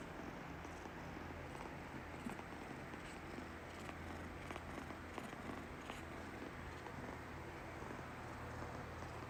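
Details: Pet tabby cat in Taiwan giving a rapid, hurried purr, heard as a faint continuous low rumble under a soft hiss of background noise.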